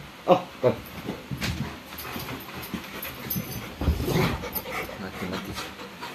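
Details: Rottweiler, described as attacking its owner, gives two quick, sharp barks, then pants and scuffles noisily.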